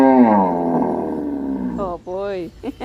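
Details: A cow, asked to call by its owner, gives a long, drawn-out moo that slides slowly downward, followed by brief human calls.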